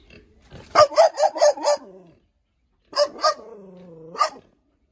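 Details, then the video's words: Caged hunting dog giving bursts of loud, sharp barks, five in a rapid run, then a pause and three more spaced barks joined by a low whining tone, otherwise quiet. "tiếng chó sủa /con chó"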